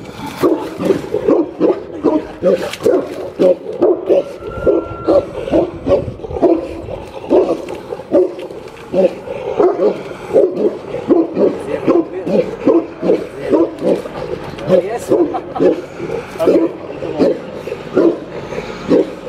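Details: Barking from Boerboel dogs Alpha and Dixie at Middelpos Boerboels: a steady run of deep, rough barks, nearly one each second, with occasional whimpering yips and faint human speech.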